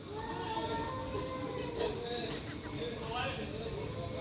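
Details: Drawn-out, strained moaning yowls from stray cats fighting: sustained tones that hold and waver with little break, over a constant low urban background hum.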